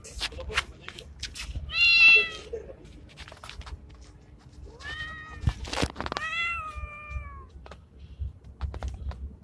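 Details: Male street cat that looks like a Bengal, in heat and calling a female: a short harmonic meow, then a pair of longer wavering meows later, with sharp clicks and rustling between.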